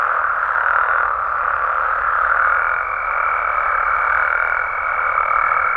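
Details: Mexican frogs and toads calling at night in natural habitat: a dense, steady droning chorus in the mid range, with a thin sustained higher tone entering halfway through and holding to the end.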